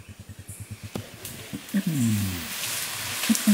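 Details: Wodan, an adult flanged male Bornean orangutan in the dense peat swamp forest of Tuanan, Central Kalimantan, gives a far-reaching long call to repel rival males and attract females. A run of low rhythmic pulses leads into a deep, falling, harmonic groan. A voice exclaims at the end.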